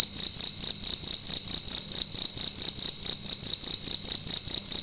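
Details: A cricket chirps loudly indoors at night, a high, steady trill pulsing in quick, even bursts.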